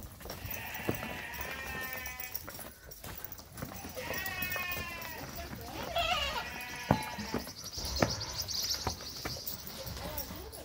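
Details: Young Boer goats on a farm in northeastern Brazil: several quavering, nasal bleats over about six seconds, each roughly a second long, against steady broadband outdoor noise and occasional knocks.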